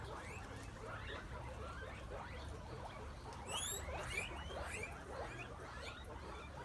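Guinea pigs give rapid, overlapping chirpy squeaks, with a few louder, shrill whistles midway.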